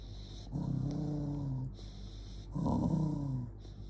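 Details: Jonggi, a dog, growls in anger: two drawn-out, low rumbling growls about a second long, separated by a brief pause, each starting harsher and easing off, over a constant low background hum.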